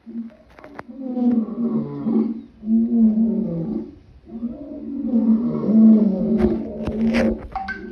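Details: Lion giving deep, rasping roars in long rumbling phrases that swell and fade, with brief pauses between bursts and a few faint clicks near the end.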